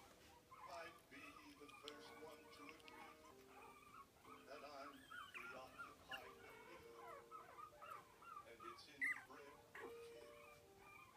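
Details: Four-week-old Biewer terrier puppy, a male, eating meat for the first time. He makes a run of squeaky, tonal whimpers and little nomming sounds that bend up and down, with clicky chewing noises between them and faint speech in the background.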